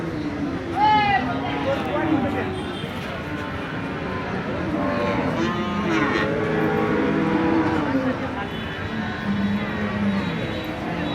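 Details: A 13-month-old Jersey heifer calf on a dairy farm in Bangladesh gives low, drawn-out moos with layered tones, mixed with people talking nearby and steady background noise.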